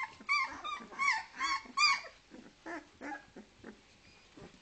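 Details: Leonberger puppies, two weeks old, from a kennel litter in Norway: a run of four clear, high whimpering squeals in the first two seconds, then quieter, breathier grunting cries fading out.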